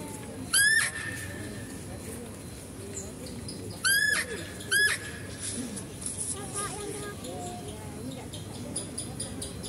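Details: Female deer at a zoo, recorded while a male deer is fed: three sharp rising squeals in the first five seconds, the first trailing into a thin held tone, followed by background chatter and scattered soft sounds.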